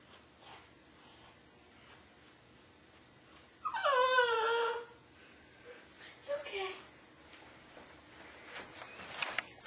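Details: Dog crying during a thunderstorm on a dog cam. After soft scattered whimpers comes a drawn-out wavering whine lasting over a second that slides downward, followed by faint breathy cries and small clicks.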